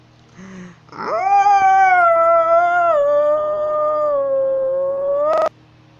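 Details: A walking wolf in North Eurasia gives one long, smooth howl that holds steady, then dips slightly lower before ending abruptly.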